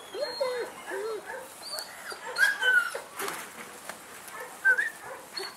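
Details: Male German Shepherd puppy for sale in Saratov whimpering in short, high, wavering whines, some rising then falling, spaced irregularly, with human voices and light clicking noises behind.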